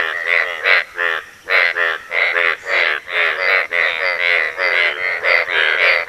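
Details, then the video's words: Several Asian bullfrogs calling out to attract a mate. Loud, rasping, harmonic croaks of about half a second come in rapid succession, overlapping into a continuous pulsing chorus. "Asian Bullfrog's mating calls."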